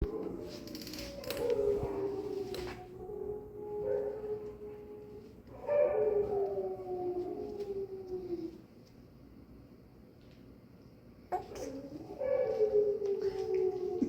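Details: Dogs howling indoors in a small room: drawn-out, wavering howls that slide slowly downward, in three long bouts separated by quieter gaps, with a few sharper yelps mixed in.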